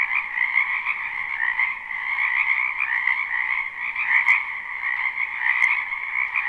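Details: Spring wetland frogs in a live, non-looped recording: a thick, continuous mass of croaking voices stacked in two bright pitch bands, swelling and easing gently, with a couple of brief sharp clicks near the end.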